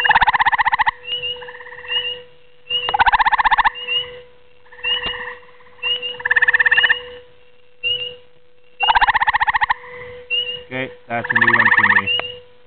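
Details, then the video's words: A grey tree frog calls at night, giving short, musical pulsed trills about a second long between briefer chirping notes. "Grey Tree Frog Calling"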